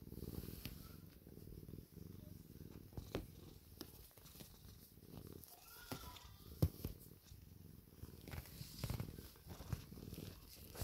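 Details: Pet cat purring as it seeks love and attention, a steady low rumble rising and falling in rhythmic breaths, broken by a few sharp taps and brief faint higher chirps near the middle.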